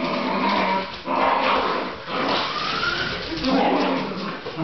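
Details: Pet Fox Terrier, a male dog, excitedly chasing a radio-controlled SUV toy: strained, tonal whimpers slide up and down in several bursts, mixed with background music and the toy car's motor.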